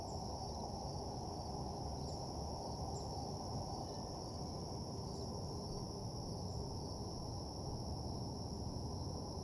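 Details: Crickets at night in a parking lot, a steady, unbroken high-pitched trill held at two even pitches throughout, beneath a loud, constant low rumbling hum.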